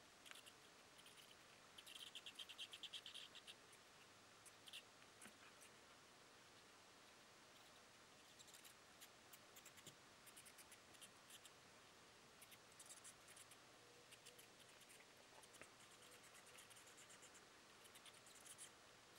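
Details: Soprano pipistrelles, females with their pups, inside their roost, filmed with night vision aids: faint rapid high ticks and chirps at about three per second, with a brief denser burst of squeaky chatter early on, over steady hiss.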